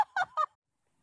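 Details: A goat or baby goat lets out three short, nasal bleats in a rapid burst, the middle one wavering, followed by silence.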